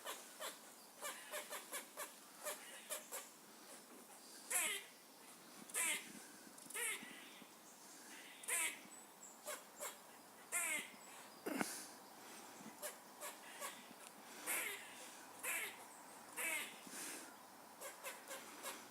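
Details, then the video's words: Squirrels calling with rapid short barks, then longer harsh wavering cries that rise and fall, repeated every second or so over a soft hiss. "squirrels making funny noises"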